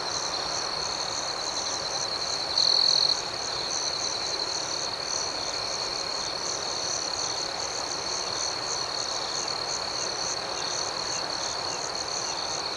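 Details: Crickets at night form an unbroken high, buzzing drone of chirps, with one short, louder trill from a nearby cricket early on, then the even chorus alone.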